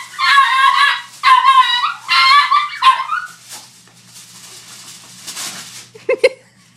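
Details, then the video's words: A Chihuahua reacts to aluminium foil with four loud, shrill, strained barks in quick succession over the first three seconds. A quieter rustle and two sharp clicks follow near the end. "Chihuahua vs aluminum foil"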